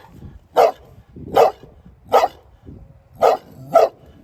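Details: Five abrupt, loud barks from a dog, spaced unevenly under a second apart, with a short pause before the last two close together; quiet low-pitched background.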